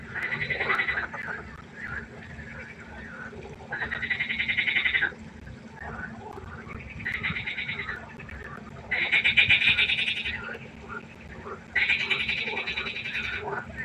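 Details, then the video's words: Frogs croaking by a pond after dark: loud buzzy, nasal bursts about a second long recur every two to three seconds, softer scattered croaks filling the gaps between them throughout the chorus. "1 Stunde Froschkonzert. Frosch Geräusche quaken. Frösche Geräusche Konzert"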